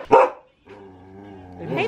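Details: A male Akita Inu in Aomori, Japan, barks at a visitor who asks why he is so angry. A single loud, sharp bark opens, followed by a woman's low humming voice.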